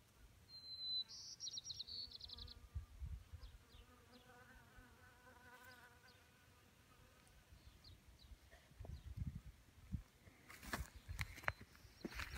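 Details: Honeybees drinking from a small pond in May 2018; a low droning hum swells in the middle and fades, with a brief burst of high chirps at the start and crackling, clattering noise near the end.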